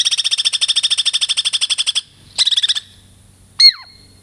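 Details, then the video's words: Pet female Douglas squirrel, Girl Squirrel, from the Puget Sound lowlands, coming up for a treat: a fast, buzzy rattle of about twenty even pulses over two seconds, a shorter burst of rattling, then one sharp high chirp. "BITCHY SQUIRREL"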